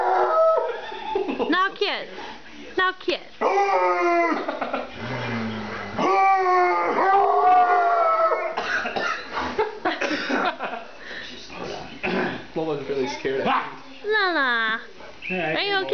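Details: Bluetick Coonhound howling indoors as it is riled up with a blanket it hates. Long, wavering, drawn-out howls rise and fall between bursts of excited human talk and laughter.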